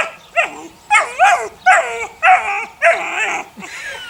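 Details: Six eight-week-old puppies belonging to Sunny, the neighbour's dog, give a quick series of about six shrill, falling yelps, each under half a second, one after another.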